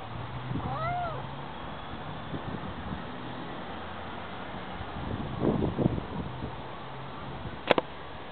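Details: Domestic cat giving one short, rising-then-falling meow near the start, followed by soft rustling and a sharp click, over a steady low hum.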